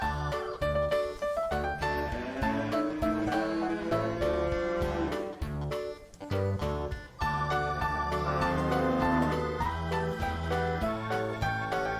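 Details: Steady instrumental music fills the recording, with plucked guitar and keyboard over a rhythmic bass line. No animal voices can be picked out anywhere in it.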